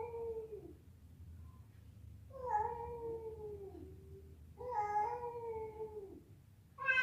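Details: Fighting cats, a female calling a male: quieter drawn-out meows, each sliding downward over about a second or more, spaced a couple of seconds apart over a faint low background rumble.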